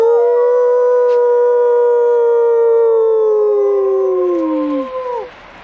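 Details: Captive female arctic wolf at a wildlife park in Orono, Ontario, February 2011, coaxed to howl during a behind-the-scenes visit; a long steady tonal howl lasting about five seconds, holding one pitch then dipping slightly at the end, with a second overlapping voice.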